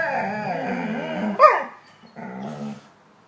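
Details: Pet dog making talking-like sounds: a long wavering moan, then a sharp yelp-like break, and a shorter throaty groan after a short silence.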